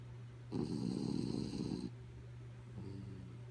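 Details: Kaya, a pet dog asleep, gives one rough rattling snore of just over a second, followed by a softer, fainter breath, against a constant low indoor hum.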